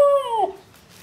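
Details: Siberian Husky puppy giving a short howling reply during a back-and-forth with its owner indoors: a single clear, slightly falling tonal note lasting under half a second, then quiet room noise.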